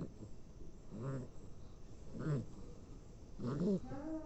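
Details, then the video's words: Sleeping dog snoring loudly; low rasping snores with a pitched whine on top, coming about once every 1.2 seconds, each a short rough rattling breath. "Snoring like a monster # dog snoring"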